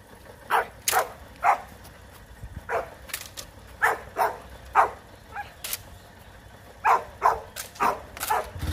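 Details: Rottweiler puppies in guard-work training for high-performance protection duty, giving short sharp barks in an irregular series, about fifteen over several seconds, some in quick pairs, with a faint engine hum underneath.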